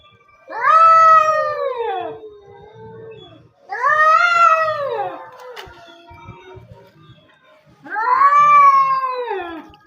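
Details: Two orange domestic cats fighting over territory, sworn rivals: three long, loud, wavering yowls, each arching up then sliding down, spaced about three and a half seconds apart, with quieter low growling between them and faint music.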